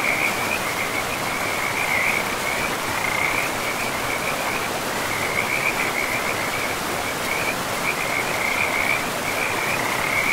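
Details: A forest river runs loud beneath a frog chorus, many callers trilling in an unbroken high-pitched band with small surges every second or two, the rushing water filling all lower sound.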